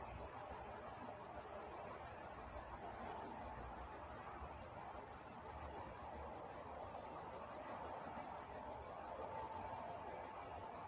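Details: Crickets chirping at night in Walnut, California, a shrill high pulse repeating evenly about three times a second, a faint upper harmonic above it and a soft murmur of distant background noise beneath.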